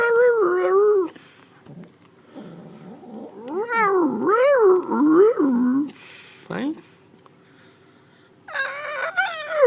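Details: Kitten vocalizing while eating, sounds likened to dubstep: a loud wavering cry, then a run of warbling, undulating moans rising and falling, a pause with a few sharp clicks, and another harsh wobbling cry at the end.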